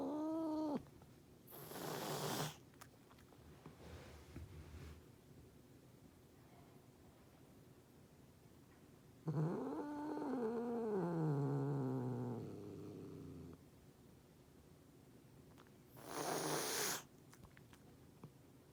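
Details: Furious cat making threats: a brief moaning yowl, a harsh spitting hiss, a long wavering growl that rises then drops away over about four seconds, and a final hiss.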